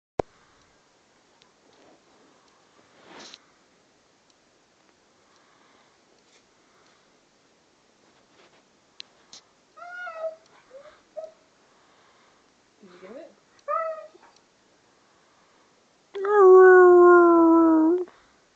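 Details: Gunner, a pet Siberian Husky, indoors after eating ice cream and getting a major brain freeze: scattered short, soft whines and yelps, then a loud, steady, drawn-out howl lasting about two seconds at the end.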